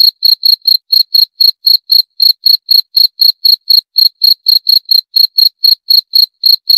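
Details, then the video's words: A cricket keeps up a bright, high-pitched pulsing chirp, short bursts repeated about four times a second in a regular rhythm, heard alone without background noise. "28 Menit Suara Jangkrik - 28 Minutes Cricket Sound Effect"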